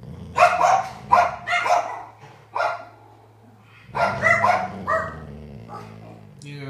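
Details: A senior female Golden Retriever 'talks' to her owner in a run of throaty, harmonic grumbles and whining moans that rise and fall like speech, seemingly wanting attention and love; a person's voice is briefly heard between them.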